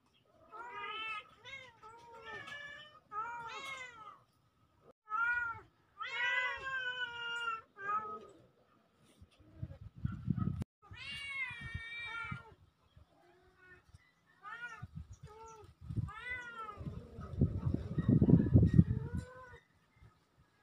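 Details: A pair of kittens on October 17, 2024 mewing in a fast overlapping series of bright, arched calls, some drawn out and wavering, interrupted by loud low rumbling handling noise near the middle and end.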